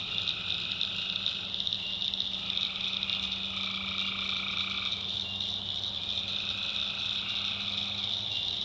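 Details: Tree frogs calling at night in a swamp in the backwoods of North Carolina: a dense, unbroken chorus with a shrill, steady high trill. Lower overlapping call layers swell and fade every few seconds over a faint low hum.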